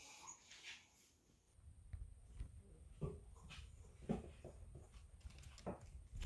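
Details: Golden Retriever puppies cuddling in a puppy pile give soft, brief whimpers and snuffles against a low indoor rumble.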